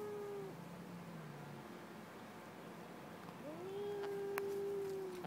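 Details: Aggressive cats heard more quietly: a short low moan, then a long, steady, drawn-out yowl rising in and holding its pitch, with a few faint clicks over background hiss.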